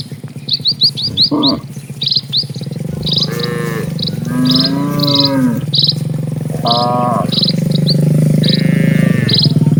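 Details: Dozens of cattle walk slowly across a quiet village road; several drawn-out harmonic moos near the middle and end sit over a steady low pulsing rumble, while quick high bird chirps repeat throughout.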